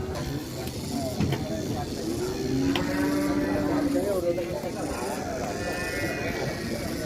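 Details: Large one-ton sacrificial bull being unloaded from a truck, a long flat drawn-out moo in the middle, amid crowd chatter and background music.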